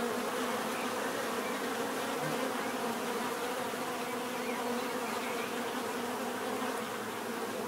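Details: Bees producing a constant droning buzz, many insects blending into one even, unbroken hum without other sounds.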